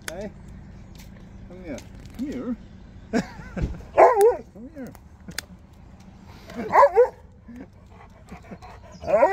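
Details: Siberian Husky crying with joy at seeing people: scattered bursts of wavering whines and yelping cries, mixed with people talking to the dog.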